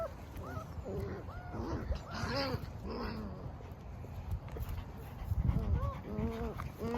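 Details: Eight German Shepherd puppies with their mother whine throughout, overlapping squeaky arched whimpers, some higher and some lower, steady over a low rumbling background with a little fuss and shuffling.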